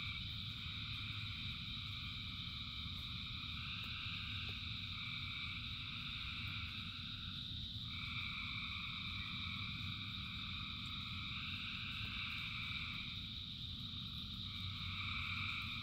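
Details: Thousands of frogs calling in rain: a dense, unbroken chorus of overlapping trilling tones at several pitches, some bands shifting up or down every few seconds, over a steady low hiss and patter of rainfall.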